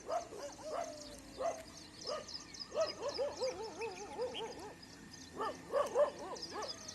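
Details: Street dogs and pet dogs in a sudden fight during a morning walk, giving many quick, arching yelps and barks in uneven bursts, densest mid-clip and again near the end, over high twittering birds.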